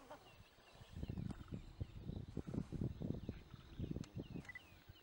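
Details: Lions in Timbavati: a male, apparently new to the pride, tries to mate with a pride female while asserting dominance and scuffling with females. Low, rapid pulsed grunts come in uneven bursts, rising and falling, with a faint high whistle near the end.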